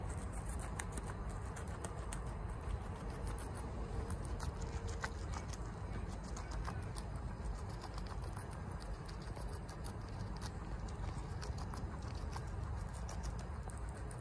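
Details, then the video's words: Crisp, snappy crunches come in a steady stream as Chia, a female guinea pig, eats bok choy fast. The bites are irregular but nearly continuous over a soft low rumble. "Guinea Pig Eatings BOK CHOY Sounds"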